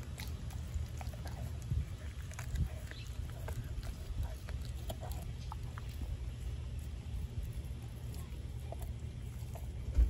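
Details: Denali, a four-month-old American Blue Bay Shepherd, eats a raw turkey neck with snuffling, crunching bites and scattered clicks. A few louder thumps stand out over a low steady hum.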